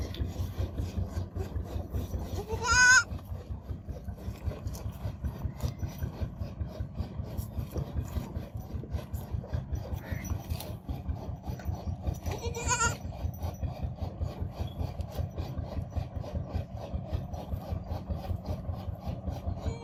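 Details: Baby goat kid babbling: two short, high, quavering bleats about ten seconds apart, rising and wavering, over a constant rapid rhythmic rasping like rubbing or sawing throughout.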